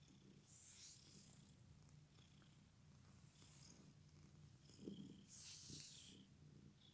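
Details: A domestic cat with an injured leg still purrs steadily, a low, even rumble with soft breathy swells.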